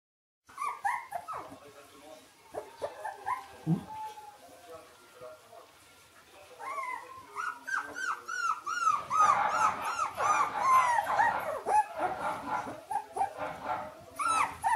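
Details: Three-week-old Shiba Inu puppies from two named parents, a chorus of high, thin whines and squeaks, rising and falling in quick overlapping bursts, growing louder and busier in the second half, with a human voice briefly heard.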